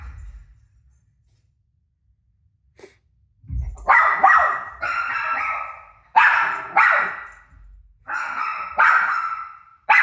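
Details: Domestic dog reacting to a recording of itself barking on TV: a few seconds of near silence, then a steady run of loud, harsh barks, some doubled, continuing to the end.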